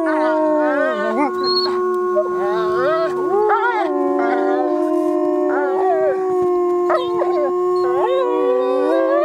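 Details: Wolves howling in a dense chorus: many overlapping long howls, some held level and steady, others sliding and wavering up and down, with rich harmonics and brief breaks between voices throughout.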